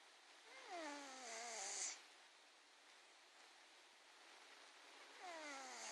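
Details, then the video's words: Ivan, a 21-pound cat, snoring softly: each breath gives a faint, falling, whistly moan, about four seconds apart, against airy background hiss. "Ivan the 21 Pound Cat Snoring"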